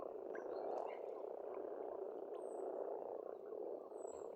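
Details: A pond chorus of frogs on an Estonian farmstead in spring: an unbroken murmur of overlapping croaks, with occasional high thin bird whistles and faint chirps in the background.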